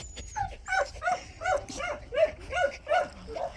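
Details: Pungsan dog at a shelter for abandoned dogs, among several dogs: a quick run of about eight yelping barks with a whiny edge, coming roughly every half second, while a person nearby coaxes the dogs and offers to throw a ball.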